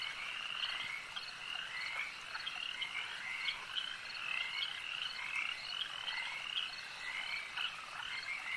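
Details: Many frogs calling together at a lake, a dense chorus of high, rattling croaks stacked in bright bands, pulsing steadily and overlapping without pause throughout.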